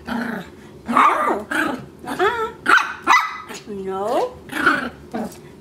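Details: A male Maltese puppy, chewing on a rug indoors, gives short, high yapping barks and a drawn-out whine while a person scolds him with repeated "no".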